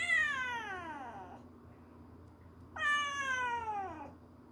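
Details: Kitten of the stray cat Kkandori calling to its mother: two long, loud meows, each sliding downward over about a second and a half, separated by a quiet pause with low background hum.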